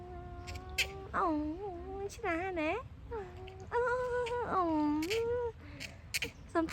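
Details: Playful otters sunning themselves at Lomphat make wavering, tonal whining squeals, several rising and falling cries in turn with brief sharp clicks between, fairly loud against a quiet background.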